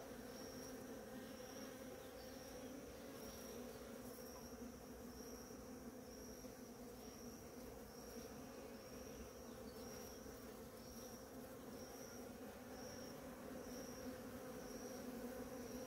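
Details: Numerous bees at flowering ora-pro-nobis fill the air with a continuous, even hum, layered low drones holding steady throughout, while a faint high pulsing tone repeats in the background.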